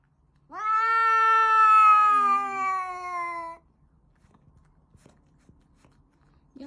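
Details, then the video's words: Cat making a funny noise while eating: one long, steady, drawn-out harmonic meow lasting about three seconds, slightly falling at the end, then quiet with faint clicks and the start of another sound. "cat making funny noise when eating"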